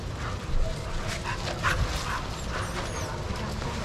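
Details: Barking from dogs playing together in a shelter yard at Pima Animal Care Center, Arizona, watched by handlers; short scattered barks over a steady low rumble of background noise.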